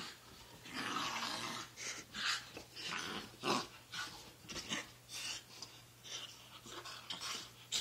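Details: Morning roughhousing between the dogs Sakura and Taki, an everyday routine: rasping growls and huffing breaths pulse irregularly about once a second, mixed with scuffling and a low constant hum.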